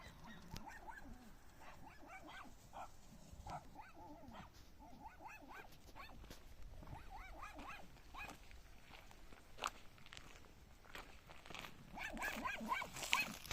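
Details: A puppy barks in a rapid run of short, high, yelping barks, about two each second and unevenly spaced, over a steady hissing background that grows louder and brighter toward the end.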